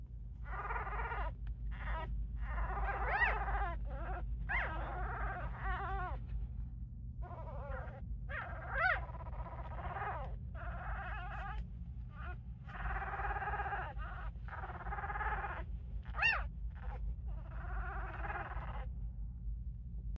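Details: Five-day-old newborn Scottish Terrier puppies make tiny squeaky growls, rough grumbling bursts with occasional rising squeals.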